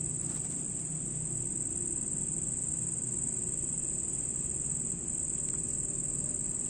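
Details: Night recording of a red cricket: an unbroken, piercing high-pitched trill runs the whole time over soft low background hum, with a couple of faint ticks.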